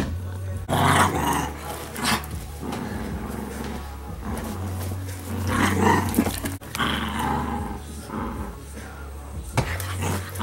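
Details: Pet Italian Greyhounds on laundry day, with Sparkle headed back to her kennel, growl and grumble in long rough rolling bouts that rise and fall over ten seconds, above a steady low machine hum and occasional human voice.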